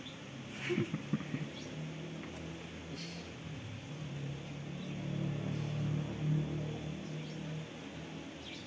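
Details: Buzzing of Asian honey bees (Apis cerana) at the hive box as the queen, confined three days after the swarm was moved from a durian tree, is set free; a low drone that swells midway, with knocks, handling noises and speech.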